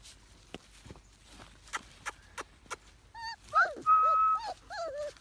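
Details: Briard dog whining: after a few soft clicks and taps, a run of high, nasal whines, some rising then falling, with one held steady for about half a second, ending in shorter wavering whimpers.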